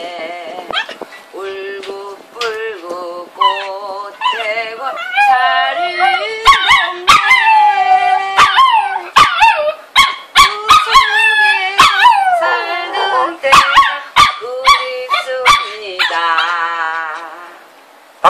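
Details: Pet dog in a Seoul neighbourhood howling along in a singing manner, long wavering tonal howls sliding up and down, some sustained and rich in harmonics, broken by sharp clicks and clatter, louder in the middle.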